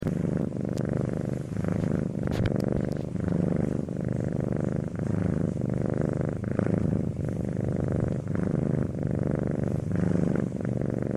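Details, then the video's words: Domestic cat purring steadily, a low rumbling vibration with soft rhythmic pulses as breaths alternate in and out, roughly one cycle per second, with no other sounds. "Cat Purring Sound Effect"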